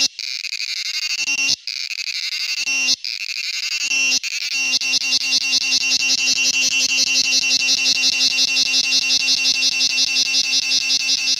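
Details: A male cicada's high, metallic buzz, first in short bursts with quick breaks, then settling into a continuous, evenly pulsing whine.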